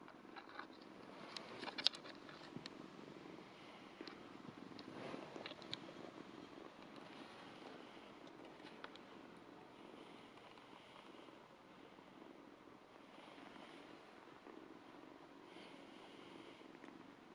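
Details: Two-month-old Ragdoll kitten purring as it licks a hand: a continuous low, buzzing purr running throughout, broken by quick wet licking clicks and a few sharper ticks near the start.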